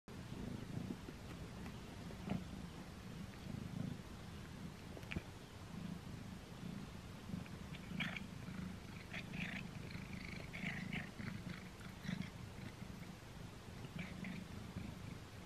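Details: Simba, a pet cat, eats a string cat treat for the first time, recorded up close: a steady low rumbling purr runs throughout, broken by scattered sharp chewing clicks and crunches.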